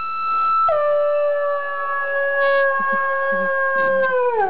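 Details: Afghan Hound, two years old, singing along as harmonica plays: one long sustained howl holding a steady pitch for nearly four seconds before dropping at the end, with faint harmonica notes beneath.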